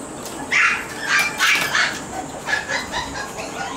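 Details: Shiba Inu puppy outdoors during playtime, before going back to its mother, crying to go home: short high whining cries, some rising then falling, repeated several times in under four seconds.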